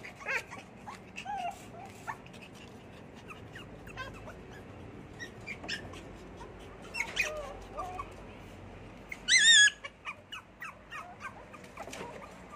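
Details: Little poodle whimpering in brief, high, falling squeaks, with one sharp, wavering whine much louder than the rest near the end, followed by a few softer whimpers over a faint background hum.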